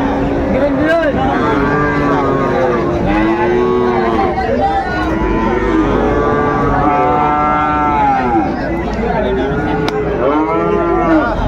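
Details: Cattle lowing at Raniganj market in Dinajpur on 12 July 2024, where Friesian and crossbred heifer calves are on sale. Several overlapping moos rise and fall through the clip amid voices and traffic.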